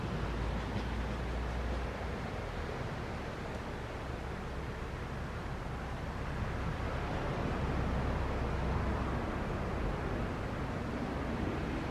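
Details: Steady broadband rush of wind and surf with a low rumble throughout, no animal voice standing out.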